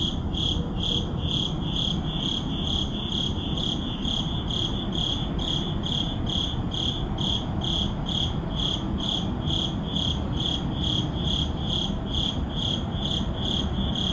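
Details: Urban neighborhood crickets calling at midnight, filmed on a Sony a7CII with an ECM-M1 microphone; sharp, high chirps in an unbroken rhythm of about 133 per minute, backed by a dull low urban rumble.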